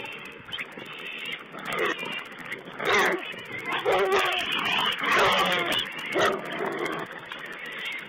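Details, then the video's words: Wild boar piglets feeding, recorded by a webcam, 19 April 2010: a busy overlapping chorus of squeals, grunts and whines that swells in bursts every second or so, with a steady band of noise above. "Wild Pig Cam2: Piglet's feeding"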